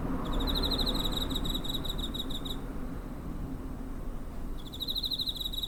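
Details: A cricket near a home, 7 September 2023, TASCAM DR-05: a bright, fast-pulsed trill runs for over two seconds, falls silent for two seconds, then starts again, with faint low rumbling throughout.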